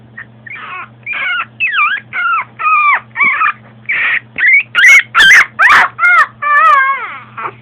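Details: Female long coat Chihuahua born in 2010, filmed at home in everyday life, giving a rapid series of high, wavering whines and squeaky yips, about two per second, some rising and falling in pitch, with a steady low hum behind.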